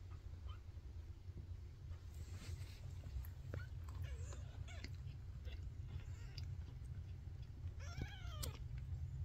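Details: Young Maine Coon kitten, newly opened eyes, giving a few thin, high arched meows, faint at first and clearer near the end, over a steady low rumbling hum indoors.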